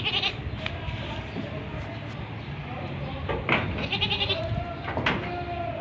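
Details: Young male desi goat kid bleating with short harmonic, nasal calls, the clearest near the end, among scattered clicks, handling noises and some human voice in the background.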